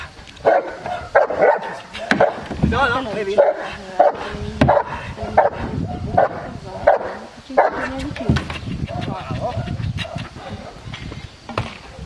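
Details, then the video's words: Fourteen-month-old Cane Corso in IPO training at Cavagliano, Italy, barking in a steady series of deep repeated barks roughly every half second, with a person talking intermittently over the barking. "CANE CORSO 14 MESI ADDESTRAMENTO IPO"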